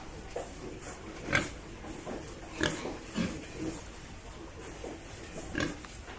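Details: Pig grunting in short, harsh bursts, about five spaced over six seconds, the strongest near the start and the end, over a steady background hiss.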